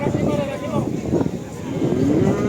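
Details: Lowing of a young Simmental heifer, said to be nearly ready for mating, at the Kerek cattle market in Tuban, East Java; a short rising moo slides upward beneath men's voices and market chatter.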